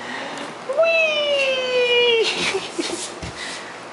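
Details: Puppy Appa, taken along for a ride, gives one drawn-out whine lasting about one and a half seconds: a steady, slightly falling tone with bright overtones, then soft rustling and handling noises amid quiet background hum.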